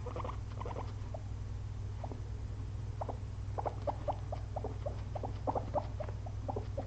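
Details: Two pet guinea pigs napping after a long day of munching frozen blueberries, giving soft, short, irregular squeaky chirps in scattered bursts over a steady low electrical hum.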